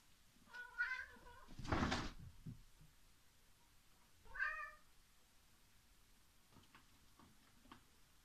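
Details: Pet cat indoors, climbing down from a TV stand by its step, gives two short harmonic meows about three and a half seconds apart, with a loud thump between them and faint knocks afterwards in a quiet room.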